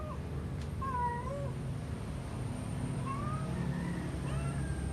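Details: A pet cat making a strange sound along with odd movements: soft, drawn-out meow-like tones, one near the start and a rising one later, then a brief final note, over steady low background rumble.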